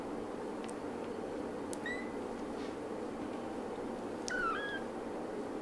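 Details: Young kittens whose eyes have newly opened give two brief, high, thin mews. One comes near the second mark and a clearer, slightly falling one near the end, over a steady indoor room hiss.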